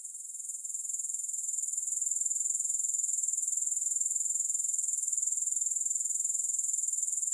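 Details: Grasshoppers calling, no music: a continuous piercing trill of rapid even pulses, a little softer at the start and swelling to a steady level that holds to the end.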